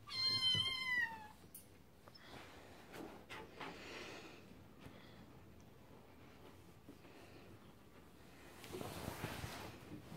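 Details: Scottish Fold kittens, with a single bright meow that falls in pitch at the start, then quiet scratching and shuffling noises for the rest.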